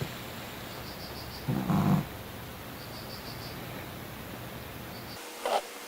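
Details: ['A snoring dog, said to snore louder than a human, lets out a short, deep, grating breath in its sleep, followed by quiet room tone, soft repeated high beeps and a brief click near the end.']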